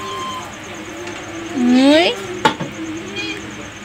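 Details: A cat, one of two playful pets, gives a single loud rising meow lasting about half a second. A sharp knock follows, and a low steady hum runs underneath.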